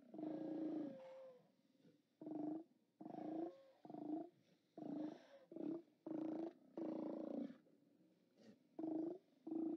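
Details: Chorus of Steller sea lions hauled out on 29 October 2017: rough, growling roars in uneven bursts, some longer and wavering, others clipped short, with animals overlapping and calling over one another.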